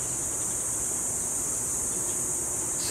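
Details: Cicadas buzzing in a continuous, high-pitched drone that holds steady without a break, heard in the McKinley Hills area of BGC, Taguig, Manila, Philippines, among condos and a dense residential area.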